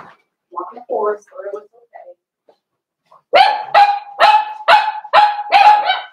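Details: Blenheim Cavalier King Charles Spaniel puppies, one of a New Year's litter of five, in an indoor puppy pen. Human talk first, then about eight rapid, clear, high-pitched barks, roughly three per second, ringing and evenly pitched.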